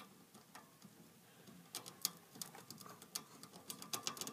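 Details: Eating hamster, quiet at first, then a busy patter of bright, crisp clicks and nibbling crunches building through the second half.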